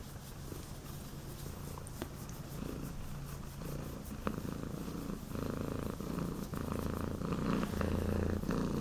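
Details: Pattric, a foster cat at Cat Haven WA, settles from a bluff hiss into a steady low rumbling purr, the pulsing drone rising in strength toward the end; faint indoor background.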